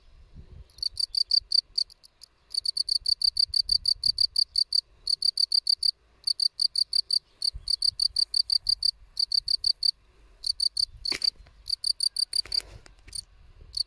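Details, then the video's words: A field cricket (Gryllus campestris) chirps steadily, with rapid bursts of pure, high trills repeated in a clear rhythm. "Świerszcz Polny (Gryllus campestris)"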